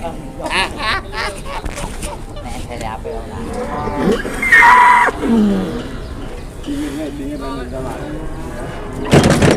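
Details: Jumbo-sized cow in Indonesia, brought in and quickly sold, lets out a short low moo that slides downward, heard among men chatting nearby and general outdoor noise.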